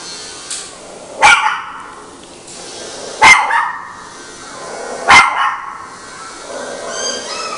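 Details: A female mixed-breed dog barks three times, each bark sharp and bright, spaced about two seconds apart, with quiet background between.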